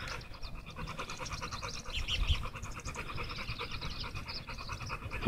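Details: Tugboat, an American Bully, breathing hard on a walk outdoors: quick rhythmic panting puffs in an even stream, with a brief faint chirp near the middle and low background rumble.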